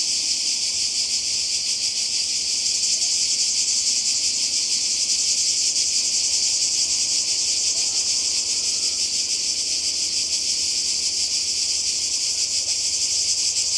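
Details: A massed cicada buzz recorded by the sea in Croatia on a 2020 summer holiday, a constant shrill rasp with a rapid flutter, unchanging over the whole recording.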